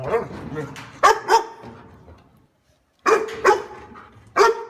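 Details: A dog barks in short, sharp bursts, a pair of barks near one second and single barks after three and four seconds, separated by quiet gaps and low background murmur.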